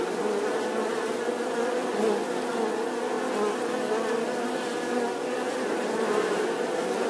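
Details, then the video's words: Bee humming in one unbroken, droning buzz with wavering low tones and gentle rises in loudness. "The sound and picture of the Bee"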